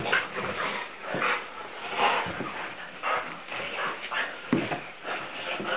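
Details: Blue Nose Pit Bull roughhousing with its owner in play: strained whimpers and short yips come in bursts across the clip, mixed with scuffling and a man's voice saying a few words.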